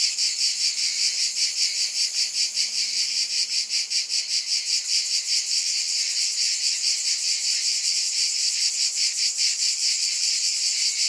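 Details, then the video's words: A steady wall of high-pitched cicada buzzing that throbs in regular quick pulses. A faint low hum sounds under it for the first few seconds. "Scintillating Cicadas"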